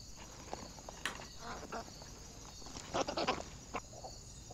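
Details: Wild boar caught by a trail camera on 17 July 2024, giving short rough squeals and grunts in scattered bursts, the loudest cluster near the third second, over a steady high-pitched cricket chorus.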